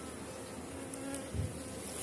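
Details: Honey bees from a strong colony at season's end, inspected frame by frame: an even, low colony hum with a brief thump of handling near the middle.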